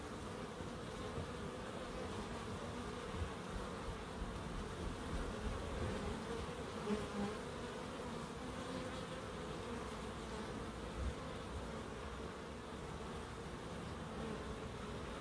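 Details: Bees droning steadily in a small wildlife garden in Crookes, a dense unbroken buzzing hum that stays even in pitch and loudness for the whole stretch.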